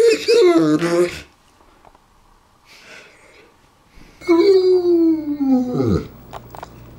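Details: Pet Saint Bernard Ours talks at length: a short whining moan, a pause, then a longer descending groan of about two seconds in a quiet indoor room.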